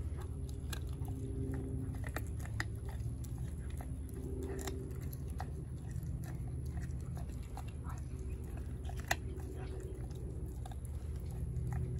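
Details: A four-month-old American Blue Bay Shepherd puppy named Denali chews a raw turkey neck indoors. Frequent sharp crunching and biting clicks come in irregular bursts over a steady low hum.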